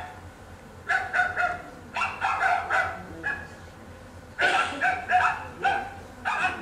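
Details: Stray puppies in southern Italy give a run of sharp, fairly high-pitched barks and yips in quick clusters, with brief pauses between bouts, reacting to an approaching person.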